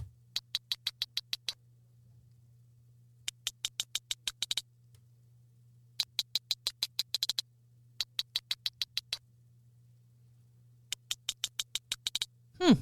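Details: Sperm whale codas recorded in the wild off Dominica, Caribbean: dry, broadband clicks in Morse-code-like bursts of roughly eight to ten, each burst separated by a pause, over a low steady hum.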